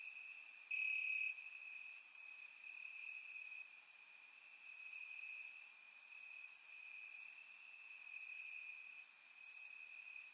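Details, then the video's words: Crickets chirping in grass on a warm summer night in Bulgaria, recorded with a surround microphone: a steady high trill runs throughout, with louder bright chirps popping in every second or two above it. "Cricket Sounds - Crickets Chirping at Night"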